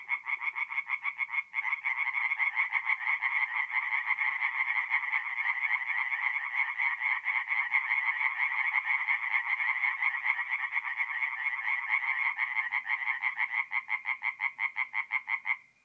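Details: Forest pond at night in mid-April, north-east Italy, with tree frogs singing: a loud, unbroken stream of quick nasal croaks, several frogs overlapping in a steady, dense chorus throughout.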